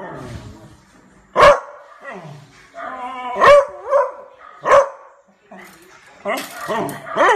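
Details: Beagle puppy named Almond barking fiercely at a neighbour's barking dogs: sharp, loud barks at uneven intervals, some drawn into short yelping howls, with a human voice also heard.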